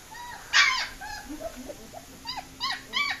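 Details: German Shepherd puppies on the loose give a few scattered short whines and arched yelps, one louder cry near the start, over a faint steady high hum.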